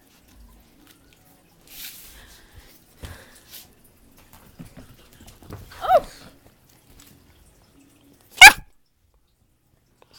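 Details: Puppy named Nugget playing indoors: soft scattered shuffling sounds, then one short yelping bark with a harmonic ring midway, followed by a single sharp, loud snap; otherwise a quiet room.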